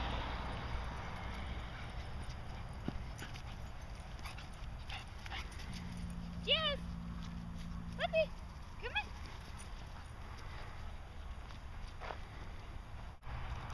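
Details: Dog named Jasmine at a dog park agility course; three short, high yelps that rise and fall, spaced a second or two apart, over a steady low hum, with a person calling the dog.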